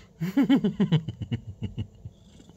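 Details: American Shorthair cat indoors giving a run of short voiced calls, the first few arched and strongest, then softer, lower notes fading out over about two seconds in a quiet small room.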